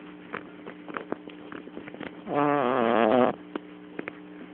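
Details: Kotetsu the cat asleep on a lap, caught on a mobile phone, lets out a single long, rough, buzzy snore lasting about a second, with quiet soft clicks and rustles before and after.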